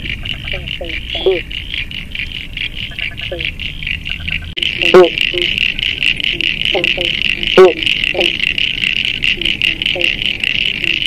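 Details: An Eastern banjo frog (pobblebonk, Limnodynastes dumerilii), living in a puddle under timber at a pond's edge, gives short, plucked 'bonk' notes over a steady high chorus of other frogs or insects.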